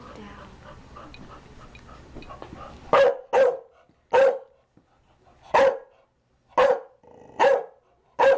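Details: Chow Chow barking: a stretch of mixed background noise gives way to six loud, abrupt barks in fast succession, roughly one per second.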